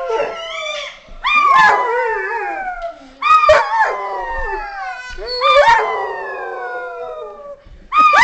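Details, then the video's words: Several dogs "singing" together in long harmonic howls, voices overlapping, each bout rising sharply then sliding downward in wavering glides, with brief pauses between four main bursts. "Singing Dogs"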